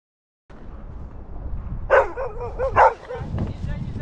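A beagle gives two loud, tonal barks about a second apart over a low background rumble.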